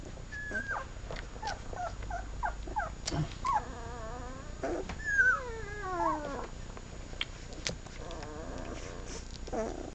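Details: Seven-day-old puppies from a first litter at a kennel whimper while nursing: a string of high, wavering whines, some sliding downward with rich overtones, mixed with short squeaks and soft sucking sounds over a low background rumble.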